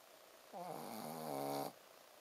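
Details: Ponzu, a sleeping Shih Tzu dog, snoring with a 'buu, buu' sound: one drawn-out nasal snore lasting about a second, a buzzy harmonic drone that swells slightly louder toward its end before stopping abruptly, over quiet room hiss.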